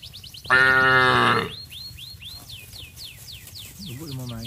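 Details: Cattle in a village herd heading down to the rice fields together, calling to companions: one deep, harmonic moo lasting about a second, followed by a series of quick, curved bird chirps and a faint low call at the end.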